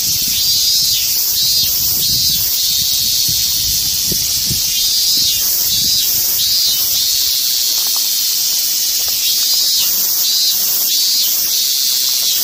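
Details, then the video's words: Loud, dense cicada drone, a continuous high hissing buzz with faint slow swells, filling the whole stretch outdoors. "som de cigarra"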